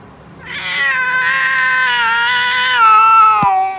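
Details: A cat at feeding time, one of two cats called lion cat and tall cat in a daily face-off where lion cat steals tall cat's food, gives one long, drawn-out meow of about three seconds, steady then slightly falling, ending in a sharp click.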